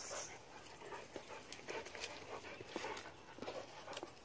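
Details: Rapid, breathy panting in quick rhythmic bursts comes from Tiger, a brindle Great Dane mix puppy aged 9 months, with faint whimpering mixed in.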